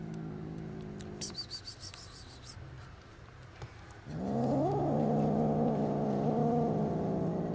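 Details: After soft rustling and clicks, an angry kitten, one of five baby kittens hissing at someone bringing food, breaks into a loud, drawn-out growl with wavering, rising-and-falling yowl tones over about three seconds.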